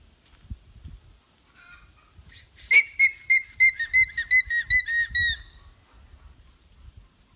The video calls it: Alpaca Alarm Sounds